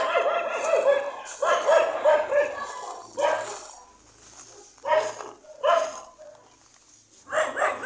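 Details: Dog yapping in quick clusters of sharp, high, harmonic barks, several at a time, separated by short gaps; a faint low hum runs underneath.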